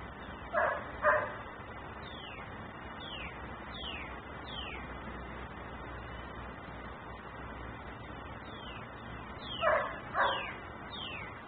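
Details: Dog left outside in Mecklenburg, said to bark constantly: an opening double bark, a long stretch of repeated high falling chirps over background hum, then another double bark near the end.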